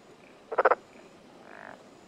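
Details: Black-spotted pond frog in mountainous Tokuji, Yamaguchi City, Japan, June morning 2021: one rattling croak of four quick pulses, then a softer buzzy trill from another frog.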